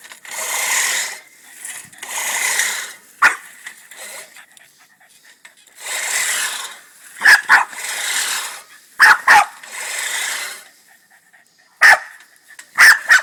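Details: Boston Terrier barking angrily at a push lawnmower, sharp short barks in pairs and singles between long broadband bursts of mower noise.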